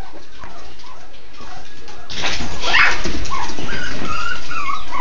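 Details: Miniature Schnauzer puppies at a breeder's. Soft whines early on, then a louder burst of mixed yelps and squeals, followed by higher whimpers and rustling.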